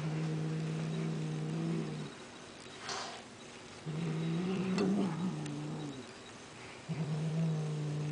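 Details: Female house cat, very toy-aggressive, holding onto a toy she will not release: deep droning growls in three bouts separated by brief silences, the middle one wavering slightly in pitch, with a soft rustle between.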